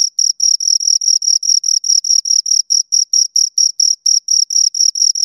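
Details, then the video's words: Pair of crickets producing rhythmic, evenly spaced high chirps, roughly four to five per second, each a short buzzy pulse with a faint upper overtone; background otherwise silent. "Two Crickets Chirp Sounds"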